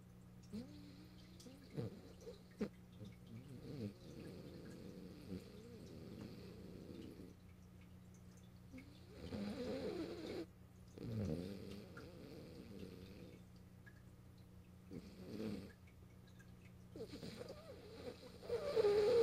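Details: French Bulldog Morio asleep on a lap, March 8, 2012, indoors: soft, low, rasping snore bursts at irregular intervals with quiet breathing gaps between them.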